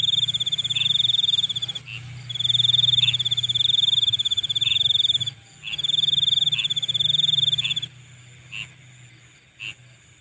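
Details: Insects at night give sustained buzzy pulsed trills lasting about two seconds each, separated by brief gaps, then fade to sparse short chirps over a faint high-pitched background hum.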